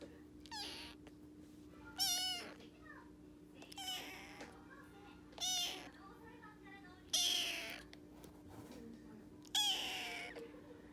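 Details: Rescued young male orange tabby kitten, born early April 2021, answering while eating; six clear, high, drawn-out meows, each bending in pitch, spaced about two seconds apart over a steady low hum.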